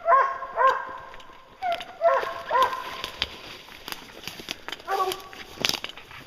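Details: Bear-hunting hounds that have treed a bear, named Lucy, Ricky and Canny, give short harmonic bays in uneven groups, strongest early on, then fading into noisy rustling and broadband crackle toward the end.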